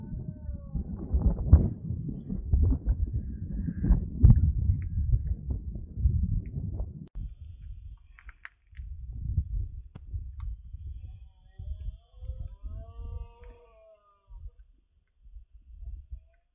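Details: Red deer roaring during the rut (berrea) in the Sierra de Andújar, Spain, at five in the afternoon on 10 September 2024: deep, harsh, pulsed bellows for about seven seconds, then quieter low grunts with thin bird whistles.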